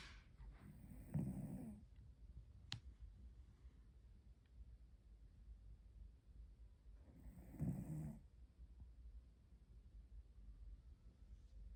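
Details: Napping cat snoring indoors: two slow, breathy snores about six seconds apart, each a low rasping rumble lasting under a second, with quiet room noise between.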